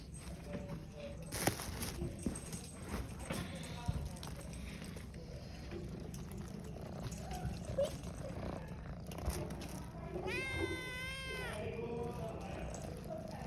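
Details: Indoor shelter cats greeting a familiar person who has come in to clean their room; after quiet room noise and soft voices, one long, loud, strongly harmonic meow with a wavering pitch rings out near the end.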